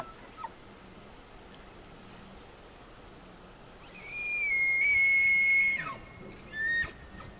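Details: Elk calling in the wild with a high, pure whistle that holds level for about two seconds, then slides sharply downward. A brief higher squeal follows, all against faint steady ambient hiss.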